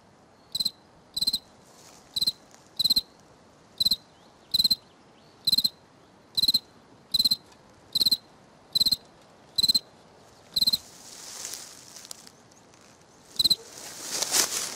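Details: Cricket on the right bank repeating crisp, high pulsed chirps about once a second for over ten seconds, then a break filled with rustling before two final chirps.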